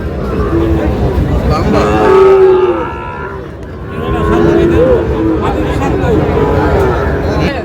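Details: Sahiwal breed bull calves bought by a Tangail farmer at market on 20 August; two or three long wavering moos stand out amid a busy background of people talking and traffic rumble.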